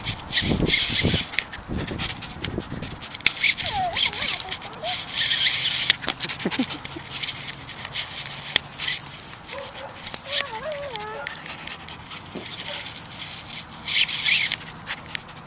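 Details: Dolly, a Jack Russell Terrier, playing with a Babble Ball toy: rapid breathy panting throughout, with short high rising-and-falling whines near the middle and again later, plus scattered clicks and knocks.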